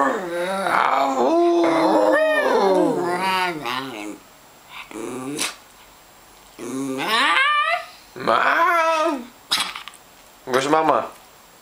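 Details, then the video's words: Grumpy miniature schnauzer indoors early in the morning, unhappy at being woken: a run of wavering, rising and falling grumbling growls and whiny moans in bursts, with silent gaps between them. "Mini Schnauzer, Grumpy in the morning"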